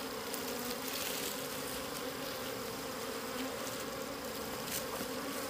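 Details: Bees hum continuously around a wild honey nest found out in the wild, a constant drone with a low fundamental and a brighter overtone, steady in level, over soft broadband hiss.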